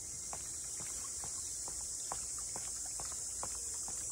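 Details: Cicadas at Ine no Funaya, the port house townscape north of Kyoto, Japan: a steady, high, hissing drone holds throughout while footsteps tap along underneath.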